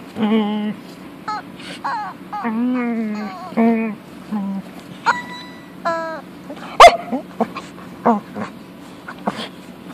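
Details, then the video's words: Punky, a female pet dog who loves her toy chicken, 'talks' to it in a run of short, tonal whining moans that rise and fall, bursts of one to two seconds separated by brief pauses, one sharp click near the middle. "Funny dog talking to her chicken"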